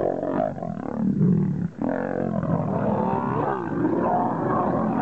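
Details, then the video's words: Two male lions fighting each other in the wild to become king: dense, rough, low growling and snarling with a harsh roar-like burst and a brief pause partway through. "Two Lions Fighting to became King"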